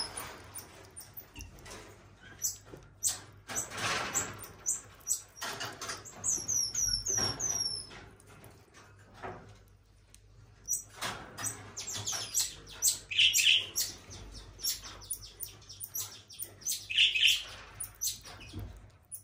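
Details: At a zoo, a very old female common marmoset, her whole coat turned white, makes quick series of shrill descending twitters, then louder squeaky chirps later on, amid rustling, tapping and brief clattering noises.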